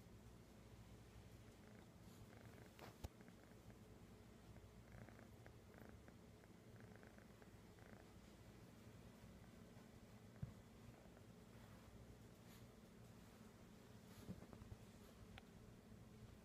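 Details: Kitten found in Sun City, California, 11-09-2015, purring continuously at close range: an even, deep rumble held for the full span, broken only by a few sharp taps or clicks near the start and middle, with no meowing.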